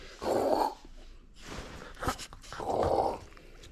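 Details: French Bulldog playing indoors and refusing to give up its toy, giving two short, rough, low grumbling growls about two and a half seconds apart, with quiet rustling between them in a small room.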